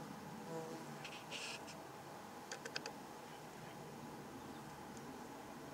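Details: Australian native stingless bees at a log hive in Ipswich, Queensland, recorded up close: a faint, steady low buzzing hum runs throughout, broken by short bursts of crisp clicking and tapping.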